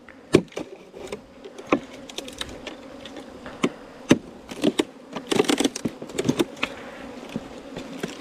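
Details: Bees nesting inside a 4-metre length of bamboo give a steady low droning hum, broken by sharp knocks and tapping bursts scattered throughout.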